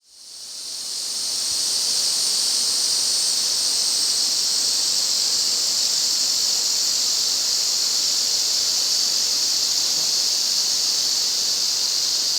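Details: Yezo cicadas in a massed midsummer August chorus in the restored Afan Woodland, Shinanomachi, Nagano, Japan: an unbroken, loud, high hissing buzz that swells in within the first second and then holds steady.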